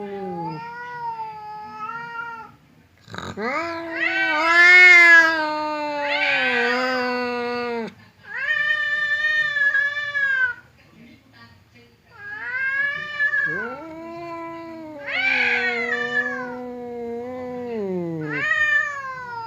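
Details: Two domestic cats, a fierce one named Temon and a quiet one named Lelo, face off separated by a divider, trading long wavering yowls that rise and fall in strained harmonic wails, several drawn-out cries with short pauses between.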